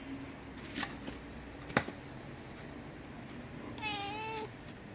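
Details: House cat making a single short, level meow late in the clip, preceded by scattered knocks and clicks in a small room.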